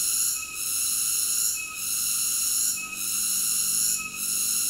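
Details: Continuous shrill cicada drone, high-pitched and banded, easing off for a moment roughly once every 1.2 seconds before swelling back to full strength.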